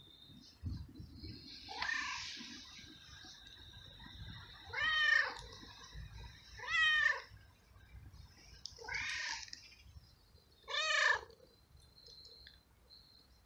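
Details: Homeless male street cat in heat, living alone in a garden and fed by a carer, meows loudly to find a female and asks for food: five drawn-out, harmonic-rich meows spaced about two seconds apart, with low background rumble.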